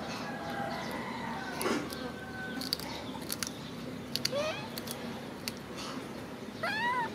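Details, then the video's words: Macaque cries as he hugs a favourite food package: a faint long tone early, a short rising squeal around 4.3 seconds, and a stronger wavering harmonic whimper at the close, with clicks and rustles. "Pity monkey cries, hugs his favorite food package"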